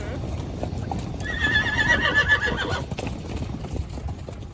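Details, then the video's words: A horse whinnies from a herd of horses and mares while riders go along a beach: one shrill, quavering neigh of about one and a half seconds, rising then trailing off, over steady low rumble, hoof clip-clop and faint voices. "Cavalo e Égua Relinchando"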